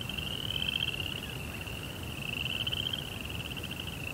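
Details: Nighttime cricket trill in a zen rock garden: a bright, fast-pulsed high tone holding steady throughout, with faint lower overtones and diffuse background hiss.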